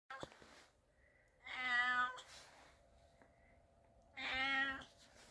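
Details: A 6.5-pound female calico cat gives two long, drawn-out, harmonic, wavering complaining meows a few seconds apart, expressing displeasure at her owner after he vacuumed.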